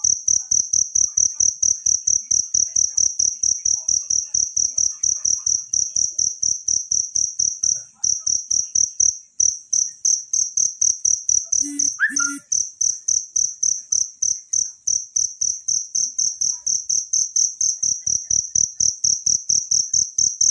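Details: Natural cricket song used to tutor songbirds: a continuous, shrill, rapidly pulsed chirping, with brief dips in loudness and a short other sound near the middle.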